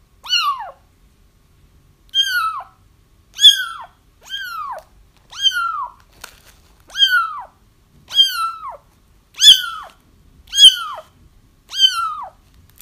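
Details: Kittens of a feral mother cat crying persistently: ten clear, high mews roughly one per second, each sliding downward with strong harmonics, in near silence.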